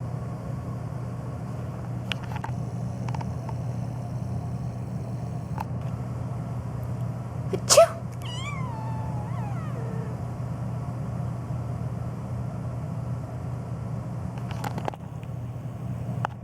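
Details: Phoebe, a black pet cat on a long rant, meowing nonstop and reacting to sneezing; a sharp broadband burst, then a falling, wavering meow with a few softer trailing meows over a steady low indoor hum.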